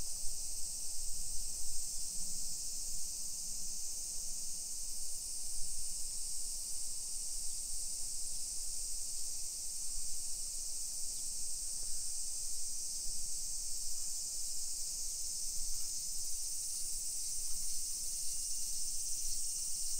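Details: Japanese summer cicadas heard during a 1 PM walk through suburban Nisshin, Aichi Prefecture, on 28 July 2021; an even, piercing high-pitched whir continues without pause, accompanied by low ambient street and walking noise.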